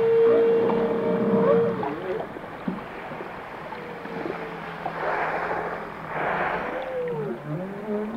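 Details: Singing whale: a bright sustained tone at the start, then curving swoops, soft low moans and short chirps amid surges of ocean noise.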